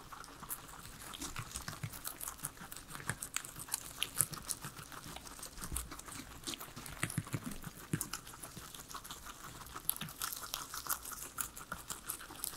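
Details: Three pet guinea pigs eating their veggies indoors, a quiet salad meal with no music or talking; dense crunchy chewing and soft crinkling of leaves continue throughout in rapid irregular bites.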